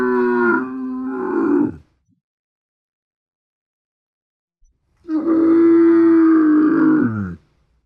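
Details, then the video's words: Camel giving deep, guttural moaning grunts: a harmonic groan of about two seconds, a silent pause, then a longer, steadier groan of roughly two and a half seconds that sags in pitch at its end; nothing else audible. "SOM DE CAMELO"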